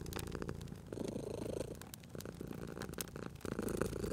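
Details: Sleeping domestic cat purring beside a crackling fireplace: a low, throbbing rumble in short swelling phases, overlaid with sharp pops and snaps from the burning fire throughout.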